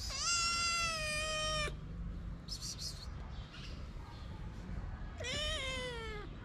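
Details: Hungry abandoned kitten, one of two shy sisters cared for at a small Moroccan shelter, gives two long, loud, insistent meows with a pause between them filled by faint rustling.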